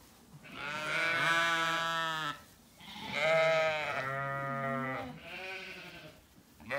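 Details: Ewes of the Zwartbles breed calling at dinner time in a sunlit orchard on a County Kilkenny farm, Ireland: long, quavering, harmonic bleats in sequence, one with a wobbling pitch, separated by brief quiet gaps.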